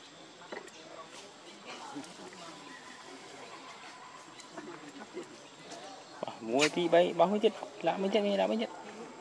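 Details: Baby monkey Leo crying to beg its mother for milk. A quiet, noisy stretch leads into a loud burst of wavering, harmonic wails in the final third, several rising and falling cries in quick succession.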